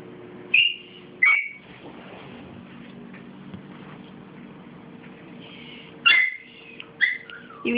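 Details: Dixie's five-week-old puppies whimpering: two piercing high squeals close together, a quiet pause, then another pair of shrill whines, each brief and falling in pitch, over faint room hum.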